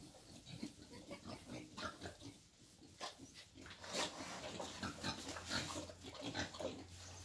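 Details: Wild boar brought for mating, with dense rough grunting and snuffling throughout, louder bursts in the second half, over a steady low hum.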